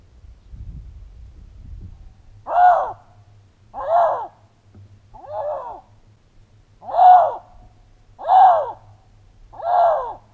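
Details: A male Canada lynx, scent-marking and calling to attract a female whose scent he found, gives a series of short, arched, moaning yowls, about every second and a half; a mating call.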